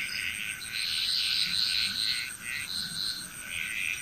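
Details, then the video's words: Frogs calling together in Bali, Indonesia: continuous, overlapping, buzzy pulsed calls with little pause, under a steady shrill insect hum. "Frog Chrous"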